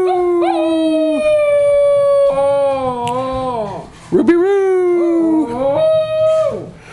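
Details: Pet schnauzer howling: long, sustained, tonal howls held steady then sliding down in pitch, a short break near the middle, then overlapping drawn-out wails that rise and fall before fading.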